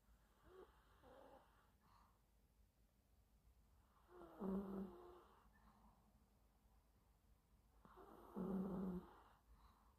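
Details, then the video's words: Gwini, a poodle, sleeping in the morning while drowsy from medication for meningitis: two deep, rumbling snores about four seconds apart, with softer snuffling breaths between them in a quiet room. "아침부터 약에 취해 코골며 자는 귀니"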